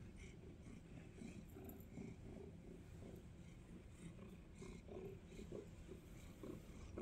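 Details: Snuggly pet cat purring close up on a cold day, a soft, low, continuous rumbling throb with gentle pulsing, plus faint rustles from an indoor room.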